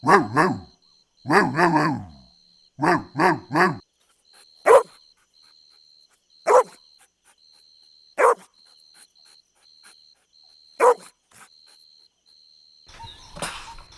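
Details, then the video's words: Golden Retriever puppies at play on grass outdoors: several clustered, pitch-wavering puppy barks early on, then single sharp yips every second or two, ending in a brief rustling burst, with a faint steady high tone throughout. "Adorable Golden Retriever Puppies Playing On Lush Green Grass – Cute Dog Video | Dog Sounds"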